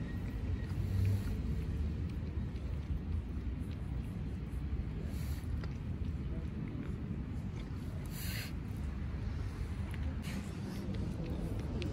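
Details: A constant low-pitched rumble like wind buffeting a microphone or a boat engine fills the recording. No meows or other animal sounds stand out, only a few faint hisses and clicks.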